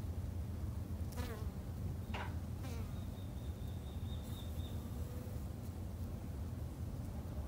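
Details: Japanese honey bees kept by a garden beekeeper, buzzing steadily as a low, dense hum. A few brief rising and falling whines pass by, like single bees flying close, and a thin high tone sits faintly in the middle.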